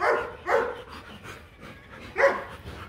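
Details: During a Rottweiler mating session in Hanoi, Vietnam, with stud male Marvin Gervi and female Kacyno Gervi, three sharp yelping barks ring out about half a second apart, then a pause and another.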